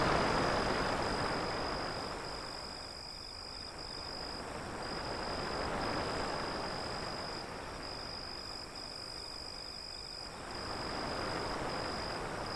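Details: Continuous shrill cricket chirps, evenly pulsed several times a second, sit above rolling surf that swells and fades in slow waves throughout.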